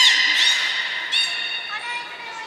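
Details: During training and a pool transfer at Port of Nagoya Public Aquarium in March 2021, a beluga gives a dense run of nasal, creaky squawks with stacked overtones, with faint voices in an echoing hall.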